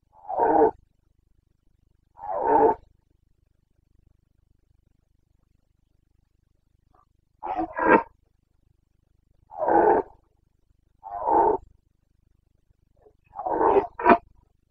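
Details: Carpathian red deer stag roaring in the Bucovina mountains, Romania, during the September rut, 29 September 2022: short rough bellows repeated every one to two seconds, some doubled, over a quiet background.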